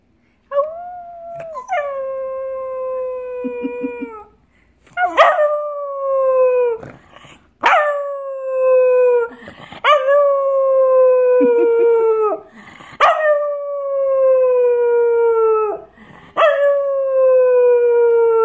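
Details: Molly, a female Cocker Spaniel, howls in long, slowly falling tones, each held for a second or two.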